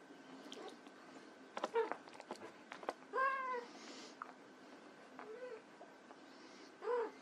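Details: Playing white Persian kittens mew in short, rising-and-falling bursts scattered through the clip, with soft rustles and thumps of movement between calls.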